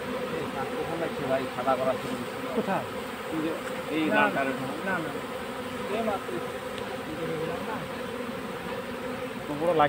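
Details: Honey bee colony being captured into a hive box: a dense, steady buzzing hum with a low droning band, overlaid by men's voices talking nearby and brief rising and falling tonal sweeps.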